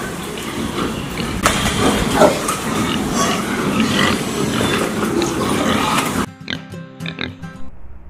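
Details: Pig living on a farm and eating food scraps, producing harsh, broadband grunting and snuffling for about six seconds, then stopping abruptly as light music with plucked notes takes over.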